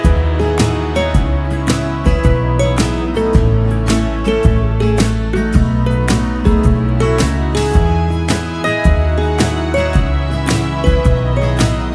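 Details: Soft, tender instrumental music with steady plucked guitar-like notes and a low bass line fills the whole stretch, and no animal voice can be heard.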